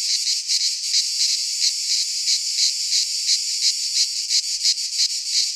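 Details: Greek pine-forest cicadas singing in midsummer; the shrill buzzing chorus surges in slower, more even waves, about one and a half per second, over a constant high hiss.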